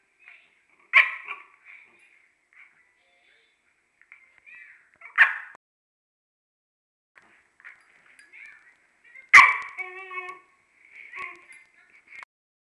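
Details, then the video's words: A dog wanting to play fusses and barks at a deaf companion. Three sharp, ringing barks sound several seconds apart, with soft high whimpers and yips in between in an otherwise quiet room. "Okami wants to play"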